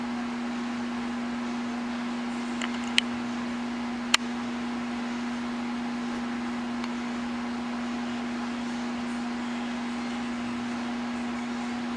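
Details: Steady mechanical hum like a fan or microwave fills a small room, broken by a few sharp clicks and knocks, with no animal calls.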